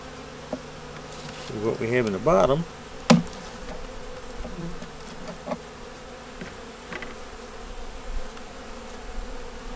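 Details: Winter inspection of a honey bee nuc with a yellow queen and brood in the top box: an even, low buzzing drone runs throughout, broken by a short spoken phrase and a sharp click.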